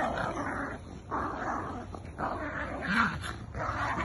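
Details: Playful tug of war between two dogs, a Jack Russell and a Bull Terrier, brings steady, grinding growls in three or four drawn-out rasping stretches separated by short breaths.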